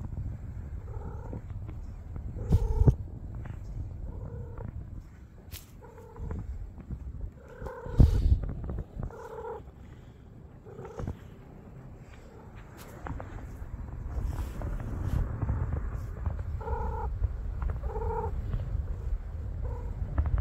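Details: Tortoiseshell stray cat with other street cats, a steady low rumbling purr running throughout, broken by short harmonic tonal calls in bursts around the third, eighth and seventeenth seconds, with occasional sharp knocks and handling noises.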